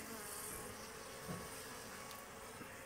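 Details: Honey bees at a native bee box as frames are separated for honey collection and smoke drives the insects away; an even, continuous swarm buzz with a brief louder swell near the middle.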